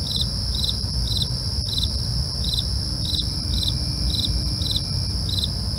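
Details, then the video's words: Regular chirps of crickets after dark, quick bright pulses close to two per second, accompanied by unbroken shrill insect buzzing and a faint deep hum. "night crickets asmr for you"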